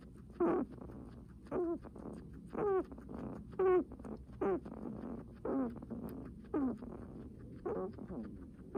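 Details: Heavy breathing from a guinea pig, each breath a short squeaky, wheezy rasp with a rising tonal edge, repeated about once a second in a steady series.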